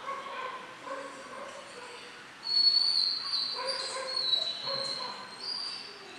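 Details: German Shorthaired Pointer puppies Memphis and Patty, twelve weeks old and in kennel training for backing point, give repeated short yipping notes with a thin, high, drawn-out whine rising louder partway through.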